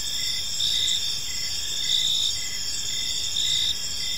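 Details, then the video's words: Crickets chirping on an evening in a peaceful park; a dense, steady high-pitched trill with several overlapping callers and soft pulsed chirps repeating under a constant shimmering drone, with faint low background noise. "Cricket Sounds in a Peaceful Park"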